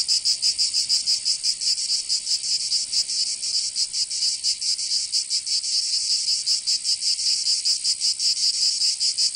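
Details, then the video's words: Summer chorus of cicadas in Provence, southern France, a continuous shrill buzz whose pulsing is looser and less even than usual, rising and falling slightly over the clip. "Canto Cigarra"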